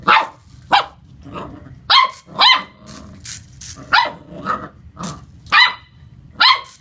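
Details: Lucy, a Corgi puppy, playing against a remote-control car, gives sharp high barks about every half second to a second, with small yips and rumbling growl-like sounds between them.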